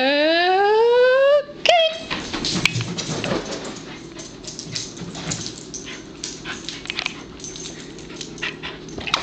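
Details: A Pembroke Welsh Corgi gives a long, loud, steadily rising whine that breaks off after a second and a half. A brief yelp follows, then continuous rustling and clicking noise.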